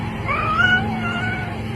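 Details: Domestic cat named Ellie giving a thin, drawn-out, slightly wavering meow over a steady low background hum.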